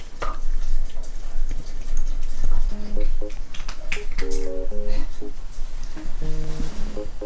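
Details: Short electronic musical tones play in bright bursts over loud low rumbling and indoor clatter, with no animal voice heard.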